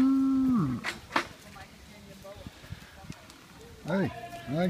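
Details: Young goats at a Dutch children's petting farm: one loud, steady bleat that falls away at its end, then two short wavering bleats near the close, with a person talking in Dutch between them.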